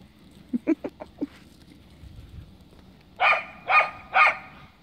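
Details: Cardigan Welsh Corgi frapping, racing around playfully in the snow: a run of four quick soft yips, a pause, then three loud sharp barks about half a second apart.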